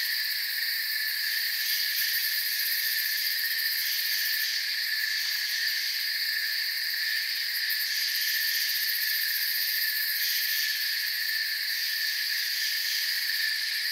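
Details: Crickets fill a forest with a steady, piercing chorus of layered trills. Small swells come and go in the upper tones, while the overall level stays flat and uninterrupted.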